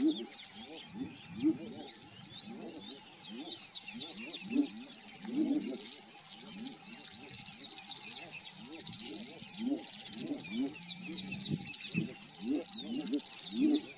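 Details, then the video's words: A few male edible bullfrogs (Pyxicephalus edulis) call while chasing one another, giving deep, short croaks repeated again and again under a constant high trilling chorus. "Edible Bullfrogs (Pyxicephalus edulis) calling."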